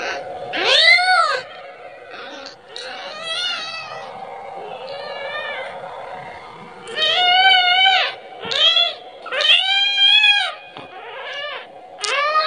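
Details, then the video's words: Kitten calling for its mother, asking for milk, in a rapid run of short and long arched meows, some clustered in quick pairs, with background hum throughout. "suara anak kucing memanggil- manggil ibunya 🤣🤣🤣minta susu"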